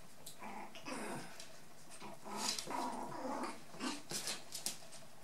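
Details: Playful scuffle between four-and-a-half-week-old white dwarf and toy poodle puppies and a brown female dwarf poodle. Rapid, rough little growls and snarls run together, ending in a few sharp yips.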